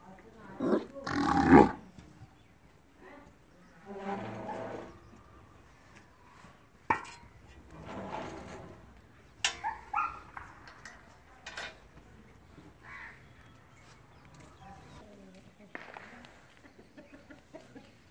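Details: A purebred Sahiwal breeding bull (Bos indicus), frisking about, gives a loud, rough bellow, then deeper drawn-out lowing calls, with people talking nearby.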